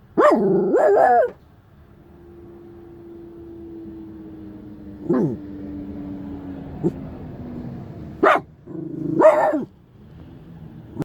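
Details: Shiba Inu barking at a stranger who is too close to the car: an opening double bark, then scattered single barks, with a steady low hum in the background.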